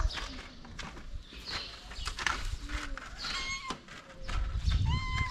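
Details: Hungry pregnant calico stray cat on a street in Morocco, being fed: short harmonic meows near the end, one brief earlier cry, over clatter, handling noise and low street rumble.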